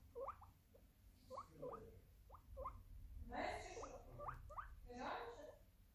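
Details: A guinea pig (Cavia porcellus) gives short, rising squeaky squeals in quick bursts, with a person's voice in between.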